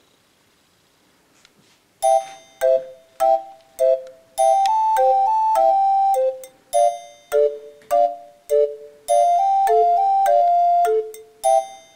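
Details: Bell-like chiming music with a repeating melody of struck notes after a quiet start; no animal voice.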